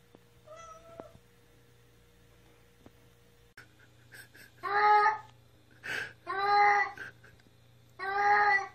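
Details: Pet cat meowing loudly while defecating indoors: faint thin meows at first, then four loud, drawn-out, harmonic-rich meows in quick succession over a low steady hum.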